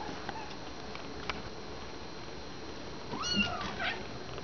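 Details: Kittens in a pen, some nursing and some starting to play, with mothers calling and purring, recorded indoors without music. A brief, thin, rising-then-falling high meow sounds near the end over a steady low hum.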